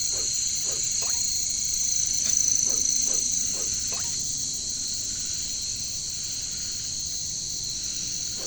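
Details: Katydids (bush crickets, locally caricangkas) in jungle: a dense, continuous high-pitched shrill chorus with a faint whistle overlaid, while lower croak-like calls drop in pitch about every half second during the first four seconds.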